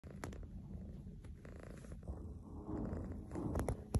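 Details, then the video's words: A content pet cat purring, a sign of having a good time or being satisfied; steady low rumbling purr throughout, with a few soft clicks and brief noises. "CAT PURRING WITH SOUNDS"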